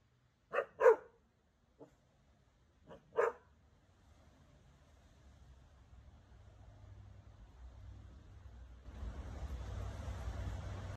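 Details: A Cane Corso puppy reacting to snow for the first time gives a few short deep barks in quick succession, then quiet, followed by a steady hiss of wind or rustling.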